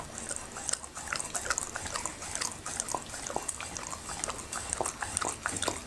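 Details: Happy, a Labrador retriever, eating okra and raw meat indoors; dense wet chewing and crunching clicks scattered through, with short sharp bites repeating several times a second and a hissy background.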